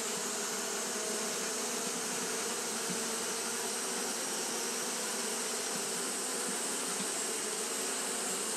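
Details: Japanese honey bees fanning continuously on a hot day, a steady dense hum with bands around 250 and 500 and a bright hiss up high, unbroken throughout with no other clear sounds.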